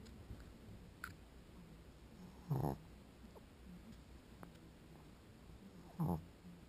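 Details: Sleeping pug snoring: two short, quiet snorts about three and a half seconds apart, each a brief raspy low-pitched burst over a soft steady background hiss.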